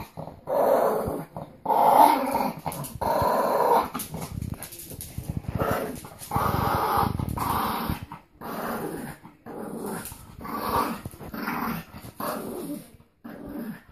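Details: Two Boston Terriers, Phee and Wally, growling while playing tug; rough, throaty growls come in bursts just under one a second, broken by short gaps, with scuffling of the game between.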